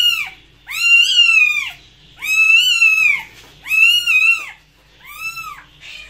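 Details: Four loud, drawn-out cat meows, each swelling and then sliding down at the end, the last one shorter and softer, with short gaps between.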